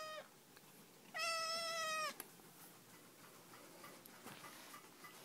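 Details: Eight-week-old black Siamese kitten, a male, talking at home after the arrival of a new dog brother. One loud, steady meow of nearly a second ends with a slight downturn, after a faint clipped meow at the start.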